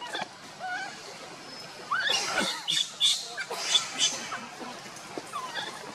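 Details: Monkeys during a scuffle in which Luna carries the baby Luno and Rainbow tries to pull Luno away: sharp, rising squeals and harsh, high screeches in uneven bursts, with quieter gaps between them and outdoor background noise.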